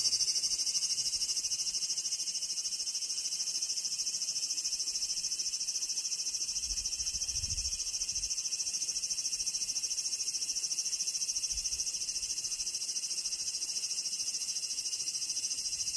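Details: Large brown cicada delivering a long, unvarying sizzling drone, shrill and hissing with a quick pulse, sustained throughout; a soft low thump occurs briefly near the middle.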